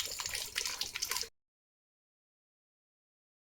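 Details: Splashing, gurgling water from a garden hose for just over a second, then silence; no animal voice.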